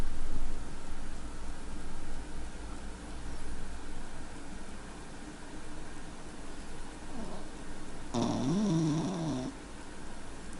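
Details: A sleeping female dog named Taffy snoring indoors: soft, low, rasping breaths in a slow uneven rhythm, with a person's voice calling her name near the end.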